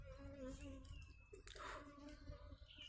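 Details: Indian honey bees collected into a box after a wax moth failure: steady low buzzing in two harmonic bands, a brief rustle and clatter near the middle, and faint whistled tones above, indoors.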